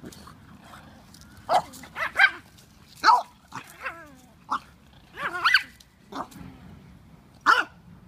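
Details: French Bulldog learning to bark so it will not be bullied by big dogs: a run of short, hoarse, rising-and-falling barks and yelps, some strained and wavering, in uneven bursts over about six seconds indoors.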